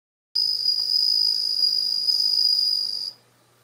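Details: Bell crickets kept at home, about ten hatched from last year's eggs with only one female, singing in early September as autumn deepens: a steady high ringing trill held for nearly three seconds, then stopping abruptly.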